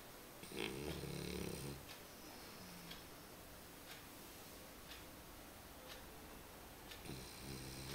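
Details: Dog named Römer snoring while asleep indoors: a long harmonic snore at the start and another near the end, with soft breathing between.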